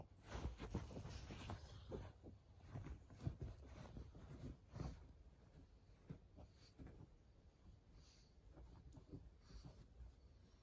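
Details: Maria, a 14-year-old senior fawn female pug in Japan, recorded 23 May 2024 indoors in a small room: rough, wheezy snorting breaths in quick irregular bursts, about 150 a minute, low and breathy, with faint rustling between.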